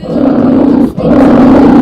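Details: Polar bear giving two long, harsh, low roars, each lasting almost a second, separated by a brief break.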